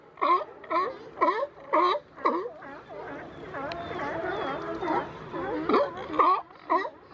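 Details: California sea lions wrestling on the Coast Guard Jetty in Monterey, California. Harsh barks repeat roughly every half second, with a run of overlapping, moaning calls in the middle before the regular barking resumes.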